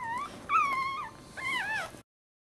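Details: Newborn Maltese puppy, born feet first in a breech birth in March 2009, one of three puppies. Thin, high squeaky cries come in three bursts, each bending upward and then sliding down. There is a short quiet gap between bursts.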